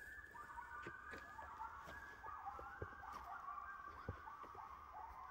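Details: In the back woods, several coyotes howl together in wavering, overlapping high-pitched tones.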